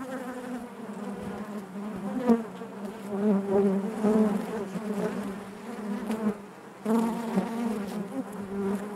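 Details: Buzzing of honey bees within their hive: a rich, continuous drone with shifting overtones, rising in loudness around the fourth second, dropping briefly near the sixth, then resuming strongly.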